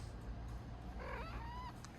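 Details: Domestic cat vocalising just after waking up: a single soft, rising chirp-like meow that bends in pitch and trails off over under a second, over a low steady indoor hum.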